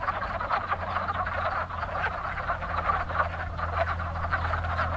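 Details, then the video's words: Wood frogs calling in spring at a very active breeding pond, a dense chorus of short clucking, duck-like croaks overlapping continuously, with a steady low hum underneath. "Wood Frogs Calling in Spring"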